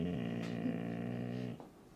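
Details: Siberian Husky vocalizing indoors while told to get down off a chair: a steady, low, harmonic moan held for about one and a half seconds before fading, with a brief soft noise partway through.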